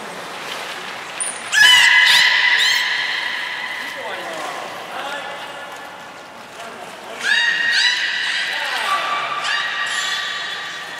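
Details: Beluga training at Port of Nagoya Public Aquarium, Nana and Niko, October 2018: two bouts of bright, level harmonic whistles, the second ending in a falling glide, with short high peeps and roomy echo between.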